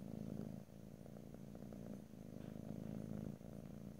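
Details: Domestic cat purring steadily, a low rumbling drone with fast pulsing, swelling and easing with each breath cycle roughly every 1.5 seconds, close stereo recording with no talking.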